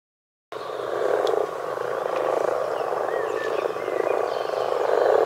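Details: Common frog chorus: a dense, continuous purring croak from many frogs with pulsing, grainy texture, starting abruptly after half a second of silence and steadily swelling in loudness; faint bird whistles above.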